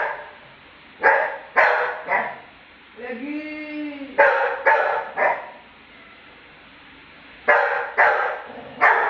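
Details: Lucky the Labrador barks in protest at being mocked: three sharp barks about half a second apart, a pause filled by a person's drawn-out, wavering voice, then more bursts of loud barks in quick pairs.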